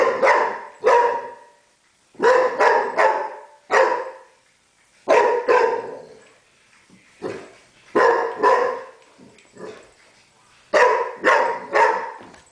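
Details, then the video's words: A dog frightened of a broom barks repeatedly. Short, sharp, broadband barks come singly or in quick pairs and triples, with gaps of about a second between the groups, over roughly twelve seconds. "Funny dog afraid of brooms!!"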